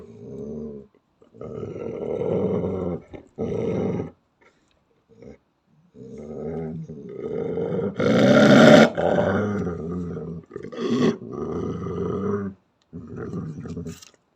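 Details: Unprovoked angry growling from a female Belgian Malinois playing an aggressive role: repeated low, throaty growl phrases of one to two seconds with short gaps, swelling into a louder, harsher snarl midway, then continuing in steady rumbling bouts.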